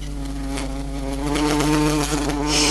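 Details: Queen buff-tailed bumblebee climbing up a closed house window, still failing to get out; loud continuous humming drone with many even overtones, slightly swelling in strength toward the end.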